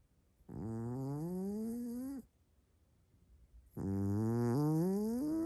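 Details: Sleeping Maine Coon cat snoring very strongly: a loud, buzzy, humming drone that slowly rises in pitch over about two seconds, then silence, then a second, even louder snore.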